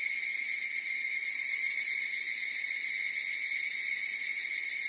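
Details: Higurashi cicadas singing together in a continuous shrill, tonal whine with several evenly stacked overtones, gently pulsing yet never stopping over five seconds; nothing else audible.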